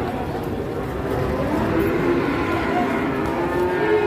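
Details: Cattle, described as a masked cow arriving, at an Indonesian livestock farm: a long, steady, low, droning moo that swells after the first second and holds to the end, over a background of people talking.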